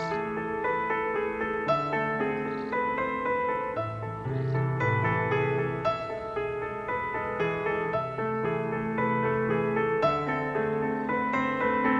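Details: Steady piano music plays throughout, with sustained chords and no animal voices.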